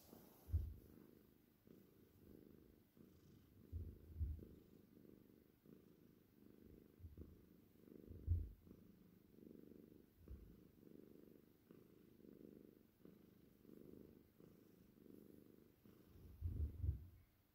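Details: Purring Cornish Rex cat, seal tortie point with white. Steady low rumble pulses in breath cycles about every second over many seconds, with a few louder thumps.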